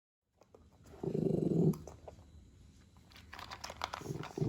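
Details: Adult Shih Poo growling and grumbling while eating its meal indoors, a low rumbling growl lasting under a second near the start, then quieter chewing clicks and a second short growl at the end.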